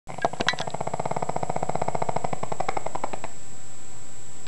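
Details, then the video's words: Sleeping pug snoring: a rattling, buzzy snore of rapid pulses that lasts about three seconds, starts loud and holds steady, then stops, leaving a quiet room. "Pug snore"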